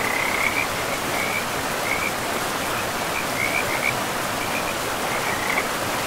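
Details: Frogs calling by a forest river among moss-covered land: scattered brief, high, rattling croaks spaced irregularly, partly buried under constant rushing water noise.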